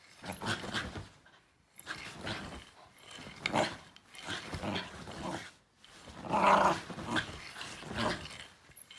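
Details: Shiba Inu dog indoors reacting to a backscratcher it dislikes, giving rough growling bursts in several separate pulses, with a short human exclamation heard at the start.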